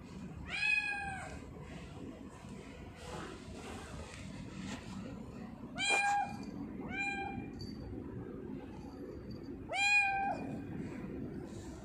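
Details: Tortoiseshell house cat Sia giving a series of five meows over about ten seconds, loud harmonic calls that rise and fall, some long and some clipped, with soft shuffling and low indoor hum between them.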